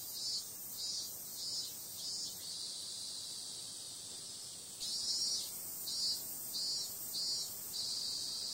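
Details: Night-time summer cicadas: a sustained high, sizzling buzz with rhythmic louder pulses, roughly one or two per second in clusters, and a stronger surge midway.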